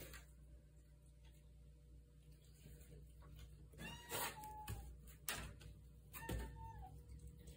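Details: Indoor pet cat named Viper, a female, asking to be let outside at 1 a.m.; two short, rising-then-falling meows a couple of seconds apart, with a person talking softly to her and a low room hum.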